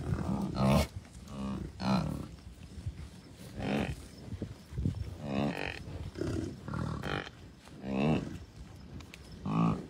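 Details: Wild American bison herd, cows, bulls and calves, at Rocky Mountain Arsenal Wildlife Refuge on June 2, 2022; scattered low, resonant grunts and moans from different animals every second or two over steady wind noise.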